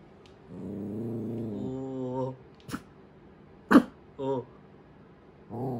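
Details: Tiny black mame Shiba Inu puppy born July 2019, indoors, normally quiet, frightened of a running toy mouse; drawn-out low growling whines with wavering pitch, then a sharp thud and short harsh vocal bursts.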